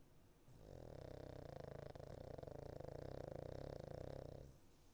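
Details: Sleeping Cavalier King Charles Spaniel called Niko, a fostered dog, giving one sustained, low, rattling snore that lasts about four seconds with a fast buzzing texture, then fades to quiet breathing.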